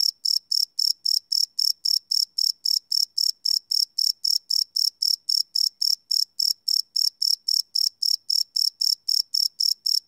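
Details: Night-time cricket chirping captured live with a Sony PCM D100: an unbroken train of sharp, shrill pulses at roughly four per second, very even in rhythm, against an otherwise silent background.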